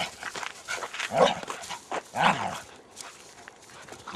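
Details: Two loud, sharp barks from pet Border Collies about a second apart, recorded outdoors on Cannock Chase or the Great Orme, Llandudno, roughly ten years earlier. Quieter rustling and scuffing continue after the second bark.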